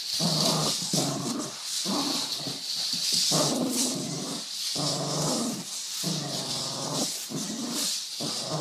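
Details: Growling dog sounds mimicking a drifting Honda: a run of strained, buzzy voiced bursts, each roughly a second long with brief gaps, under a constant bright hiss.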